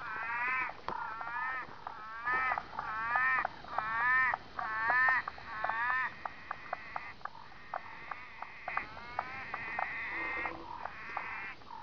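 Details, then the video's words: Southern orange-eyed tree frog (Litoria chloris) on lantana branches, calling for a mate or warning off rival males; a chorus of short, nasal, harmonic croaks repeated about once a second, with other frog species calling in the background. "Litoria chloris calling"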